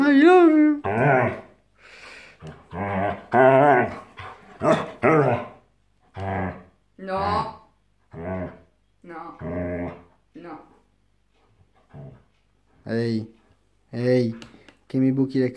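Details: Siberian Husky behaving aggressively indoors, giving loud harmonic yowling and growling vocalizations in repeated bursts, the first a long wavering howl-like cry, with a person speaking Italian in between.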